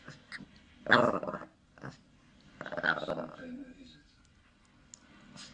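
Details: Winnie, a Shih Tzu/Pekingese dog, indoors: two loud, harsh growling bursts near the one- and three-second marks, each lasting about half a second, with quieter room noise and a faint voice between them.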